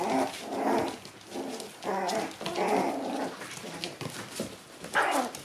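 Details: Shiba Inu puppies arriving at a dog daycare, playing and biting; low harmonic growls and whines repeated in bursts about every half second, over an indoor room background.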